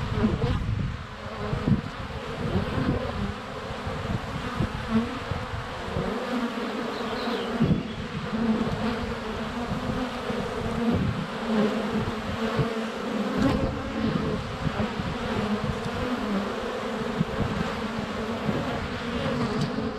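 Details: Dense continuous droning of many honey bees flying around a hive entrance, filmed up close with a GoPro Hero 7 Black during sunny February weather; low humming fluctuates as individual bees pass near, with occasional knocks of bees landing on the camera.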